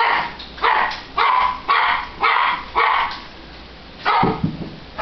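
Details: A tiny 7-pound Italian Greyhound barks in quick, sharp, high bursts, about two each second.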